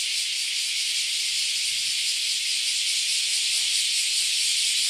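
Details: Cicadas in large numbers calling loudly at a Japanese farm house; a dense, unbroken high hiss with a faint shimmering pulse, steady in loudness throughout.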